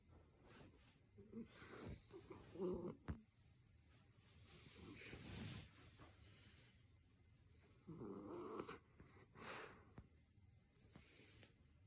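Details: A sleeping miniature dachshund snores in low, rough, rattling breaths that come in bursts and pauses.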